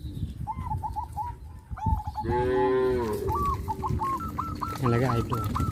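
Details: Cows being led to rice fields after the harvest on a traditional village farm; a long harmonic moo rises and falls mid-clip, with repeated chirping bird calls before and after and steady low rumble.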